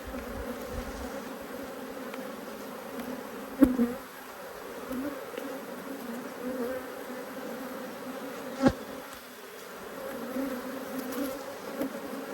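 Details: Defensive honey bees that keep coming at the beekeeper make a low, persistent, humming buzz during an unhappy hive inspection. Two sharp knocks from handling the hive stand out over the drone.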